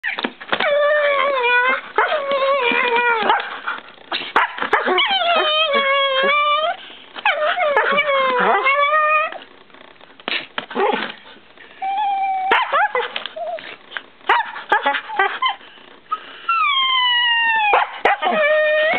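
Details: Shiba Inu and Siberian Husky playing together under a child's bed indoors: a long stream of high, wavering whines, yelps and yodel-like whimpers, rising and falling in pitch, in bursts of one to three seconds with short gaps.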